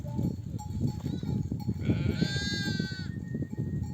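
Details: Ewe of a nomadic flock, back from grazing in the desert, calling her lambs to suckle: a single drawn-out quavering bleat near the middle, surrounded by steady low trampling and shuffling of the herd.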